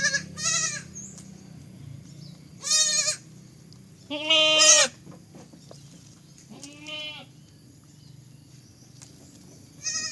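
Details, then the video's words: Baby goat letting out separate nasal bleats every couple of seconds, one louder and harsher with a wavering pitch, others shorter and thinner, over a low continuous hum. "funny goat sound"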